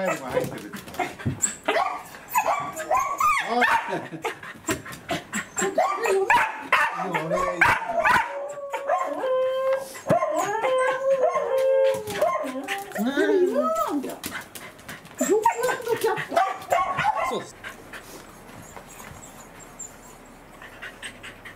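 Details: Welsh corgi, excited at meeting its breeder, recorded 4 August 2019: a dense run of high, sliding whines and yips, some rising and falling in quick bends, with people talking and laughing throughout.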